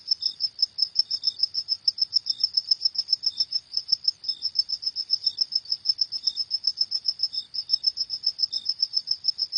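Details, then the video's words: Cricket at night giving fast, regular high-pitched chirps, several each second, briefly pausing a few times, accompanied by intermittent faint lower chirps; still, quiet surroundings. "Suara Jangkrik di Malam Hari"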